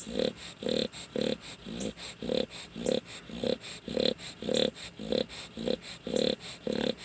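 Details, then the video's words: A sleeping dog snoring indoors, a steady run of low rasping breaths nearly twice a second, each one a short rough pulse with even spacing throughout. "dog snoring"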